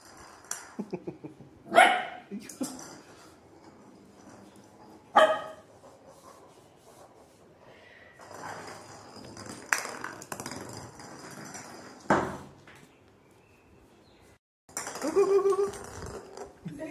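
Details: Shih Tzu dogs, including a playful 4-month-old female, give sharp, scattered barks during playtime, with human voices and laughter: Shih Tzu.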